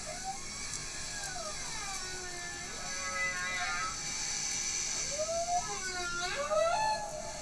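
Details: A whale sings drawn-out, tonal moans that bend upward or downward, rich with overtones, in overlapping phrases flowing continuously over a steady background hiss; the whale is also seen splashing around.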